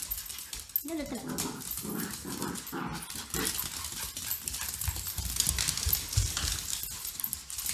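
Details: Two pet dogs, Grace and Button, a cockapoo and a shih tzu, at playtime: short rumbling play growls in the first few seconds, then scuffling and rustling noises with a person talking over them.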